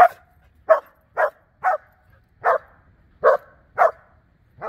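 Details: Border Collie Blue Ryder barking during bite and protection work, a steady series of eight sharp, forceful barks about every half second over a quiet background.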